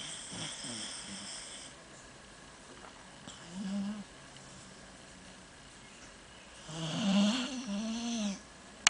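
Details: Shiloh, a pet dog asleep and dreaming, snoring with soft nasal rasping breaths and whimpery tonal squeaks, louder bursts near the middle and end, ending in a sharp click.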